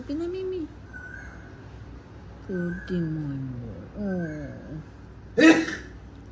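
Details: Murphy, a pet cat who dislikes sneezing, makes several short descending meows indoors, interrupted by a sharp burst of noise near the end, with a person's voice nearby.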